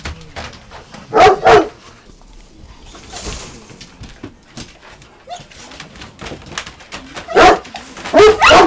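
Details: Golden Retriever barking at a balloon on 14 August 2023; paired sharp barks early on, a quieter stretch with faint noises, then another pair of loud barks near the end.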